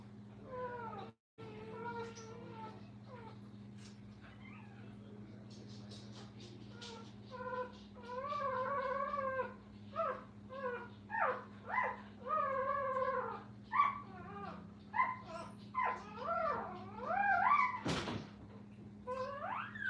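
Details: Indoors at a kennel, Brittany puppies beside their mother give repeated short, quavering squeals and whines, growing busier and louder in the second half, with a constant low hum underneath.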